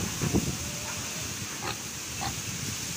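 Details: Piglets given fresh greens, with a few short low grunts near the start and faint scattered snuffling against a steady background hiss.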